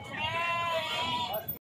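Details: Goat at the weekly Saturday Pebbair Santha livestock market in Wanaparthy district, Telangana: one long, steady, slightly wavering bleat lasting about a second and a half, with market crowd chatter murmuring underneath.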